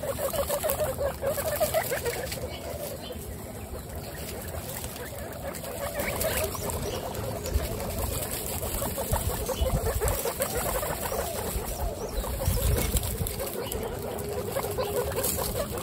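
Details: A herd of 26 female guinea pigs gives off continuous low, pulsing chutters that tumble over one another at a quick, uneven pace, mixed with shuffling, rustling bedding noise and a faint high hiss.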